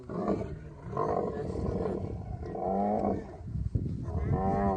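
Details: Camel in mating season in the Thar Desert, Tharparkar, Sindh, Pakistan: throaty, gurgling grumbles in short uneven bursts, rising and falling, with a brief sharp knock near the end.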